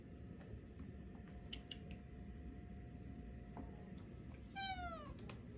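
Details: Tuxedo cat Alfie, chatting with its owners at home, gives a single falling meow near the end after quiet moments filled with faint clicks and a steady low indoor hum.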